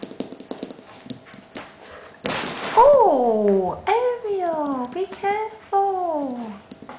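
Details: Bengal kittens, eight and a half weeks old, offspring of Ariel and Sambuca, playing indoors; a run of four or five loud, drawn-out meows that slide downward in pitch, following soft rustling and a short burst of noise.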